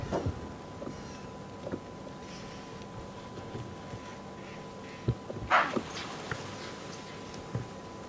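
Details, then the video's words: An impala in a big herd with multiple males, most females pregnant after the rut, at Djuma Game Reserve on a morning safari drive, 3 August 2015, gives one short, sharp alarm snort, possibly scenting a lion or leopard; herd grows alert. "Now, you heard that snort there. That was a little alarm call. I'm not sure which impala gave it."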